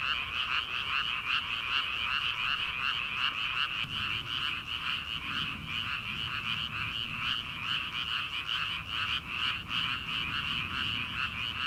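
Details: Early-summer rice paddy frogs calling in a large chorus before rice planting. Rhythmic pulsed croaks repeat two to three times per second without pause, and a soft low murmur rises in the middle.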